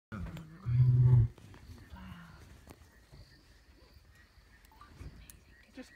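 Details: A lion in Kruger gives one deep, rumbling roar, followed by quieter outdoor background sound.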